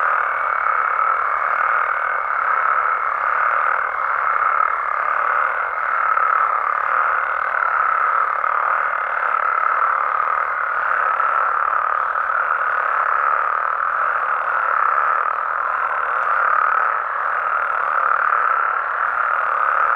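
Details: Mexican frogs and toads at night produce a seamless mass of croaking, buzzy and constant, pulsing gently in loudness. A faint higher steady tone sits over the first half, then drops away.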